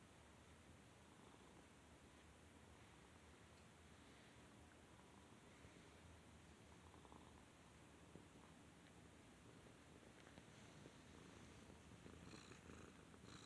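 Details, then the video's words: Cat purring as it is petted, a quiet continuous low-pitched rumble with an even texture, faint rustling creeping in toward the end. "Cat Petting and Purring"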